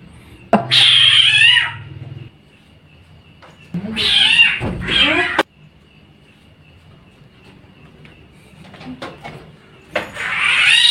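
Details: Street cats at night near a house, meowing: a long rising-falling meow, then two harmonic-rich meows around the four-to-five second mark, and another starting near the end, with a steady tonal hum in the background.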